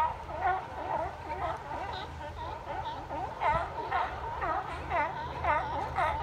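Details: A crowd of sea lions at Fisherman's Wharf barks in an overlapping chorus of hoarse, wavering honks, about two each second.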